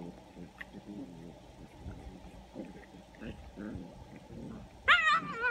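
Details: After quiet low murmuring, perhaps voices, an eight-week-old English Springer Spaniel puppy breaks in with a loud, high-pitched yelp that wavers up and down, followed by a shorter whine.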